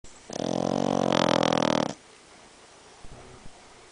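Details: A Boston Terrier snoring very loudly in one long, rough, rattling snore with a buzzy, vibrating tone.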